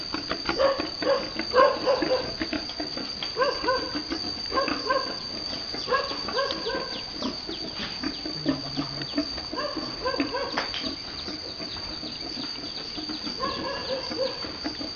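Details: Boar and virgin sow mating on a Vietnamese farm. Short, nasal, harmonic grunts arrive in small clusters every second or two. Between them come quieter stretches, with low human voices and farm noise.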